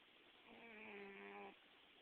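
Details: Gambit, a pet cat, snoring while dreaming in July 2009; a single quiet, drawn-out nasal breath about a second long with a steady whistly, harmonic tone, over faint room hiss.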